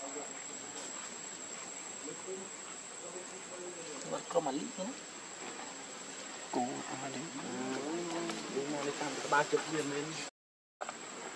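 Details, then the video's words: Lucie, a hungry baby monkey begging for milk, goes from quiet background hiss into wavering, whiny cries, drawn-out and harmonic, clustered in the second half with some rising squeals. "Lucie Too Much Hungry Milk I Adorable Baby Monkey"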